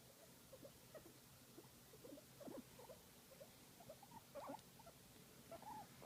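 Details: Guinea pig enjoying a massage, making cute sounds: soft, low, irregular chirping and murmuring notes scattered through the clip, quiet against faint background hiss.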